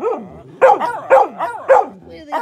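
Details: Samoyed dogs in a howling competition: short yelping howls, each starting high then sliding down in pitch, four loud ones about every half second, with a fifth beginning at the end.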